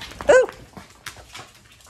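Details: Farm dogs in County Kilkenny, Ireland, barking in freezing weather as they realise their owner is getting ready to go outside again; one short, sharp, pitched bark, then quiet rustling and faint movement.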